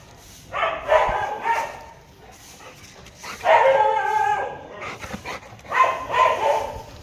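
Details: Pet Labrador and street dogs barking in three separate bouts about two and a half seconds apart, each a burst of several rich, harmonic barks blending into short howling yelps, with quiet gaps between.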